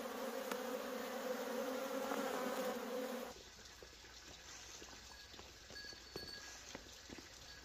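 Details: Loud humming of wild honey bees during honey harvesting for three seconds, a thick steady drone that then cuts off, leaving quieter background noise with light clicks.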